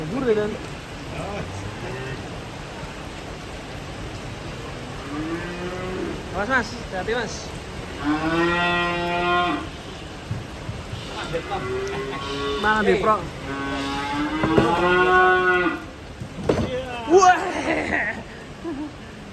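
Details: Cattle jumping down from a truck while being unloaded: several long, drawn-out moos, deep and harmonic, some rising then falling, come in bursts with short gaps, over steady background noise.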